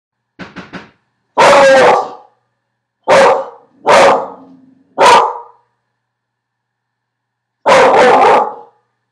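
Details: Domestic dog barking at a delivery person: loud, harsh barks in irregular bursts, a quick double yap at the start, then five broad barks spaced one to three seconds apart, with silence between.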